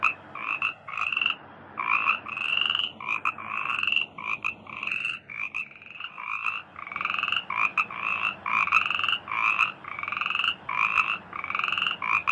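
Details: Rice-field frogs form a crowded, continuous chorus. Overlapping reedy, droning croaks rise and fall in uneven bursts through the whole stretch, leaving only brief gaps, over a low background rumble.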